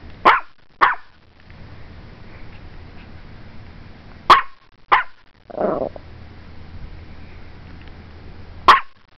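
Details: Strudel, a Morkie, barking at a camera: sharp single barks spaced irregularly, about six over nine seconds, with quiet gaps and a low room hum between them.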